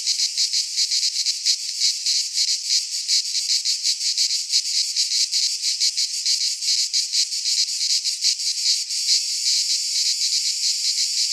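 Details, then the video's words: Several cicadas sing in a Greek pine forest during midsummer, producing an intense, rasping high buzz with quick regular pulses that smooths slightly toward the end. "Cicadas singing in midsummer - Nature sounds from the Greek fauna - Sounds of cicadas"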